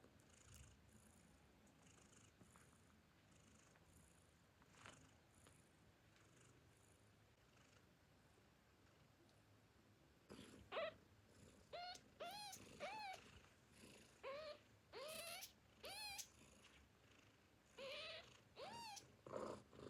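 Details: Famished newborn kittens calling for their mother before drinking milk: quiet snuffling at first, then a rapid run of high, wavering, arching mews repeated roughly every half second, some overlapping, over soft background rustle.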